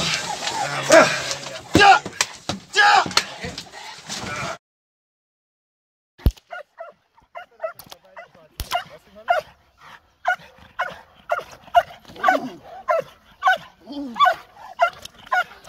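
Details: Nadja de la Arena, a Perro de Presa Canario, in AVD protection dog training with a club decoy. Noisy handling sounds come first, then silence, then a run of sharp, evenly spaced barks grows denser toward the end.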